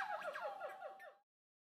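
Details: Maïko, a young male red-cheeked gibbon at a zoo, about one year old, gives a quick run of clear, swooping hoots, several each second.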